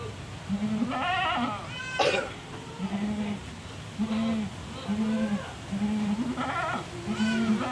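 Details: Fierce black-and-white spotted goat kept for Qurban, calling in a series of short low bleats about every second, with a few higher wavering cries among them and faint background voices.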